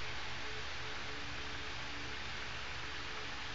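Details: Constant low electrical hum with a steady hiss over it, no animal voices.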